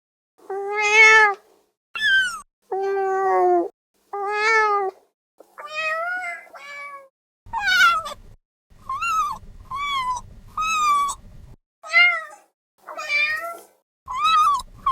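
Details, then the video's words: Kitten meowing: about a dozen clear, harmonic mews, each under a second long, some rising then falling, others flat and nasal, spaced by brief pauses, with faint low thumps under several calls. "CAT KITTEN SOUND EFFECTS | MIAGOLIO DEL GATTO"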